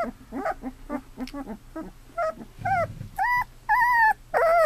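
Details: Two-week-old Golden Retriever puppies from Sadie's litter, eyes newly opened and learning to walk, give soft broken sounds at first, then a run of drawn-out whines that waver up and down in pitch and grow louder.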